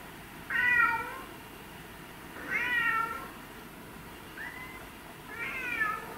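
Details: House cats Mimi, a white and ginger male, or Tom, a black and white male, giving four meows in six seconds, the third short and rising, the rest longer with bending pitch.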